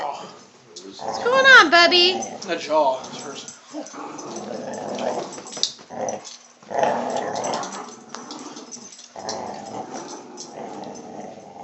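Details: Dogs at home during a tug of war, an old hound getting annoyed; rough, noisy growling in long rasping bursts after a stretch of laughing human voices near the start.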